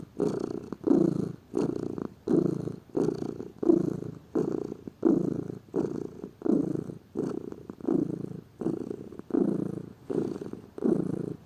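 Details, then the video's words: House cat purring lazily, a steady series of low, rough rumbling pulses, each burst around half a second with brief pauses, continuing evenly throughout. "Gato Ronronando, Som de Gato, Ronronar de gatos"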